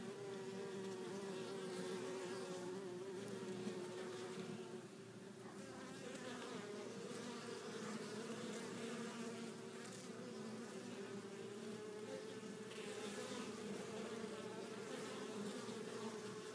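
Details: Many honey bees arriving back at the hive with pollen of at least four colors; continuous droning hum that dips briefly and shifts pitch slightly, with a busy layered buzz over sixteen seconds.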